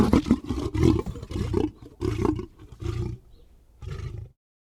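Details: Lion giving a run of short, throaty grunting roars in quick succession, each burst deep and rough, tapering off before falling silent.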